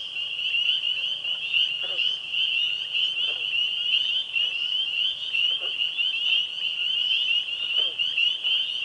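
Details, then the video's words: A pond chorus of tree frogs, spring peepers and green frogs on a spring evening: countless high, shrill trilling voices blend into one steady ringing wall of sound. "Springtime Frog Sounds"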